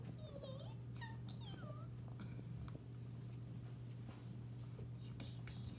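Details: Archie, a runt kitten, indoors in a small room: three or four thin, high mews in the first two seconds, each a short curved rise or fall, followed by soft whispering, a steady low electrical hum and faint room rustles.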